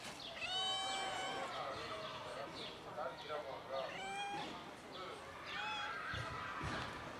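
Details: Three kittens playing with their black mother cat before eating give high, harmonic meows, several overlapping and rising-then-falling, repeated throughout, over a steady background hiss.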